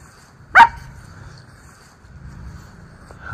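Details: Miniature Schnauzer, one of two brothers romping outdoors among fallen autumn leaves in Aroostook County, Maine, in October 2024, gives one loud, abrupt bark early on, then quiet yard ambience with faint rustling.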